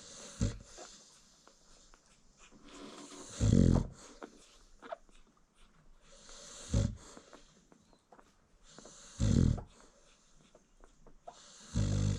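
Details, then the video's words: Snoring American Bully mom dozing as her newborn litter feeds: loud, rumbling snores repeat every three seconds or so, each a rough low exhale, with quiet rustling and small puppy movements in the pauses, indoors. "Newborn American Bully Puppies Feeding While Mom Snores"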